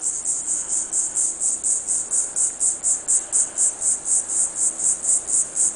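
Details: A salt marsh cicada (Diceroprocta viridifascia) calls in steady, high-pitched buzzy pulses, several each second.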